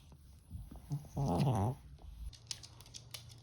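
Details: Ttoi the Maltese, in a temper, gives one short, low, rattling growl of about half a second amid quiet background rustling.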